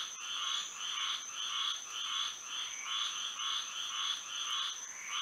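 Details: Night in Florida, frogs calling by moonlight: overlapping croaking bursts repeat roughly twice a second, some uneven in timing, with a constant thin high drone running underneath.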